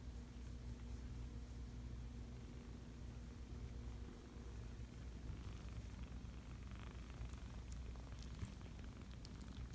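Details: Five-week-old kittens purring: a steady low rumble runs unbroken throughout, with faint soft rustling in the second half.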